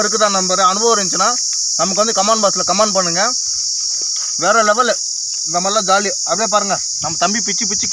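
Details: From a Manila tamarind (kodukkapuli) tree, a cicada gives a sweet, unbroken high-pitched buzz, joined by short rising-and-falling harmonic bursts separated by brief silences.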